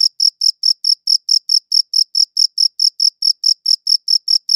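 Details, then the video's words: Chirping cricket captured with a good audio recorder, giving crisp, high-pitched pulses repeated roughly four times a second, each short and bright with a fainter upper band, over a completely quiet background. "Cricket Chirping Sounds"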